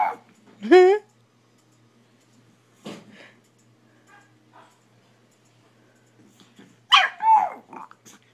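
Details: Puppy indoors, barking at an owner taking photos with a phone: opens with a wavering, rising then falling yelp, then a muffled bark, soft rustling, and a later burst of rough, quick barks.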